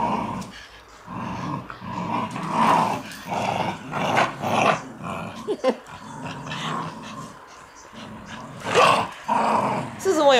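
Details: Three Shiba Inu dogs straining at a tug-of-war game, growling in rough, rumbling bursts that swell and fade almost without pause over ten seconds, ending with a brief higher squeal.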